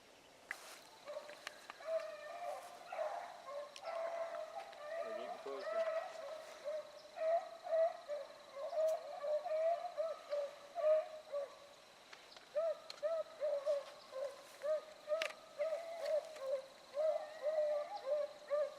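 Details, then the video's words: Rabbit dogs trailing a rabbit in wide circles on Salt Lake WMA on a February 2018 morning. A long stretch of steady, repeated bays rises and falls in loudness over a faint constant hum and a few clicks. "RUNNING RABBIT DOGS"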